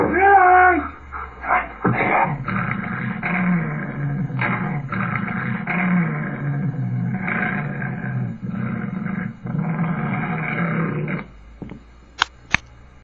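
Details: A two-year-old Alaskan Malamute playing with its owner gives a brief whining howl, then a long run of rough, rumbling growls.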